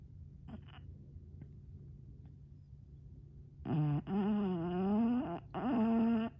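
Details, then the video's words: Sleeping bulldog indoors giving two drawn-out, honking snores in the second half, each a tonal, wavering groan lasting one to two seconds, following a quiet stretch with only faint breathing. "Bulldog snores"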